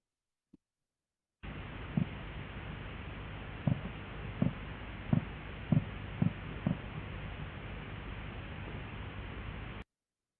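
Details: Underwater passive acoustic recording from Eclipse Sound, with walrus present January through July: walrus knocks, sharp, low, impulsive pulses at irregular intervals over steady noise. These are simple calls by males telling other males this is their territory.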